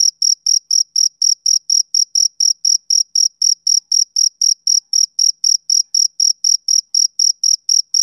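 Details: Shrill, metallic chirps from a male cricket on a summer evening, evenly spaced at about four a second throughout, with no other sounds.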